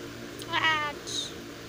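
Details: A male cat as a kitten gives a single short, bright, harmonic meow that rises and falls. A brief high squeak follows, over a low background hum.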